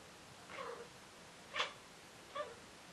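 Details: Cat hunting inside a house utters three brief calls in under two seconds: a soft, nasal mew, then a sharper, louder yelp, then a lighter clipped chirp, over a faint room hiss.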